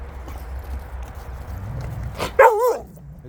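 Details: Jindo dogs out on a free walk, one giving a single short, loud bark-like yelp with a wavering, falling pitch near the end, after low rumbling background noise; a person talks nearby about water bowls and the sun.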